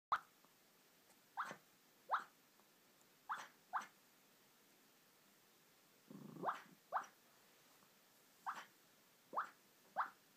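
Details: Female puppy napping in her bed, making faint, short rising squeaks in her sleep, about ten of them in irregular pairs and singles, with one broader, breathier squeak midway; otherwise a quiet room.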